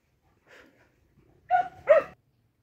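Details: Hunting dogs let loose in the forest, barking on a scent trail: a faint yelp, then two loud, sharp, ringing barks in quick succession about half a second apart.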